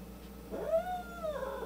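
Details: Domestic cats filmed at home, one a white cat with an attitude problem; an angry, drawn-out yowl rising then sliding down, with a second wavering moan following, in a quiet small room.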